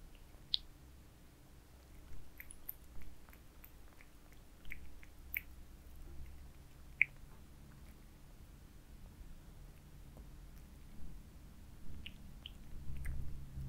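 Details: Domestic cats eat minced meat shaped into towers, filmed close up for ASMR: crisp intermittent chewing clicks and wet smacks, with one loud snap around seven seconds and a cluster of bites near the end, over a low background hum.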